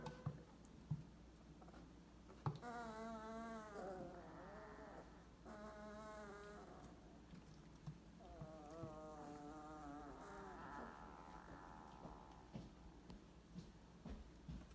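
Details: 22-day-old purebred Weimaraner puppies, recorded in 2018, give drawn-out, wavering whines that rise and fall in pitch.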